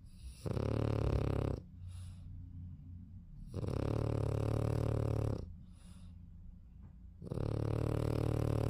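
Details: French Bulldog (Canis familiaris), snoring.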